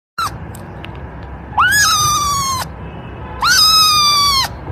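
A kitten gives loud, drawn-out meows that rise quickly and then hold a steady pitch.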